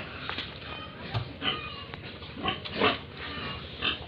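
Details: Pigs and piglets on a farm in Tripura, India, giving short harsh squeals and grunts roughly every second, several louder bursts rising above a constant low rumble.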